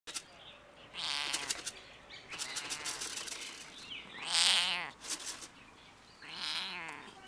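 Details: Stray domestic cat on a fence at a campus closed due to coronavirus, meowing at a person: a loud, wavering meow around the middle and a softer one near the end, with clicking and rustling noises between them.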